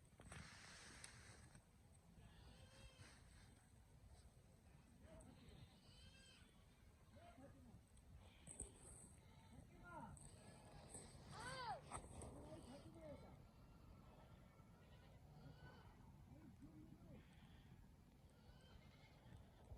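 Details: Sheep bleating, a ewe with her lamb: several wavering baa calls of varied pitch come at irregular intervals over a low rumbling background, some higher and thinner, others deeper.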